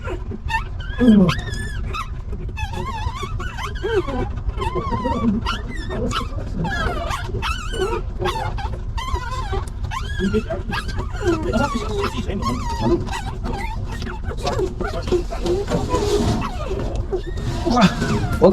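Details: Stray dog family, a mother and her newborn litter of puppies, with a puppy being picked up. Repeated thin whimpers and yips sweep up and down over a constant low rumble, with men talking close by.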